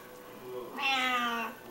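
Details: Indoor silver Bengal mother cat feeding five hungry kittens while lying on her back; a single long tonal meow, rich in harmonics, swelling then easing off over about three quarters of a second, against a quiet room background.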